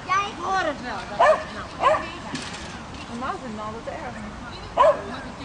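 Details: Swedish Vallhund, female, at agility training she began two months earlier; a few high, sharp yips spaced irregularly over a person speaking and faint music.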